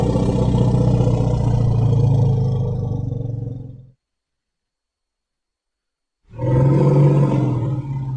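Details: Elephant calls: a very low, growling, pulsing rumble lasting about four seconds, a silent pause, then another strong rumble.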